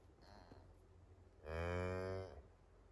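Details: Farm-raised Highland cattle in Finnish forest, a day-old calf trailing its mother, October 29, 2022, iPhone 11 recording: one steady, resonant moo lasting just under a second amid faint rustling.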